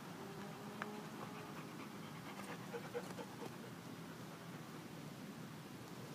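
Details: Golden retriever Sasha at a dog park on a sunny Saturday, encouraged through a play tunnel; soft, rapid, breathy panting runs steadily beneath faint outdoor ambience with a few brief clicks.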